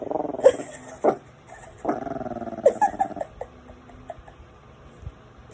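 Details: A male French Bulldog puppy, scared on first seeing himself in the camera, gives drawn-out, throaty growl-barks with a few sharp yips between them.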